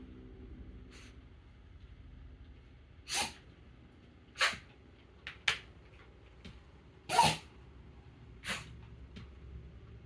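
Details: Taro, a Mameshiba dog, sneezing repeatedly indoors: short, breathy bursts of sneezing, some loud and some soft, spaced a second or two apart in a quiet room.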